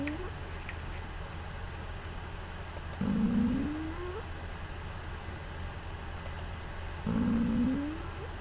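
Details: Pū, a female pet cat, snores while asleep, captured by smartphone: two drawn-out, buzzy inhaled snores that climb in pitch, spaced about four seconds apart, with faint clicks and a constant low hum in between.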